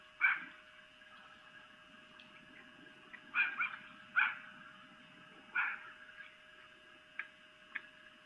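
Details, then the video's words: Vixen, a female red fox, calling to mate at night on a Lolo, Montana webcam: a few loud hoarse screams at irregular intervals, with fainter short yelps between, against constant background hum. "Vixen Mating Calls (Female Fox)"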